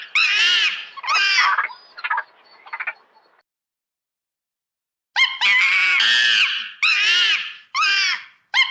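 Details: Monkey at play in its natural habitat: two wavering, arched screams and some fainter notes, a couple of seconds of silence, then a fresh series of loud shrill cries.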